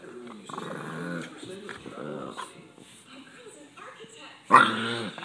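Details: Pet Boston Terrier, irritated at being touched while relaxing, lets out short guttural growls and grumbles, ending in a louder burst, while a person speaks nearby.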